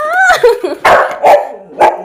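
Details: Pet husky girl 'talking' for a piece of jackfruit her owner teasingly refuses: a drawn, wavering howl-like whine that rises and falls, followed by three short, loud barking yelps roughly half a second apart.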